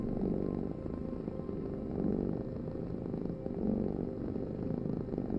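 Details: Domestic cat purring steadily, a low rumbling vibration that swells and fades in slow pulses about every 1.7 seconds, breathing in and out; no other sounds.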